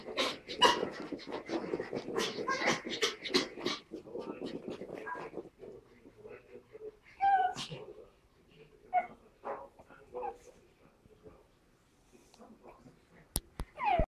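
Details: Pug Tilda and Chihuahua Roz, both puppies, wrestling in play; a busy opening of growls and snorts thins into scattered yips, one rising whine and snuffling, ending in a high squeak and clatter.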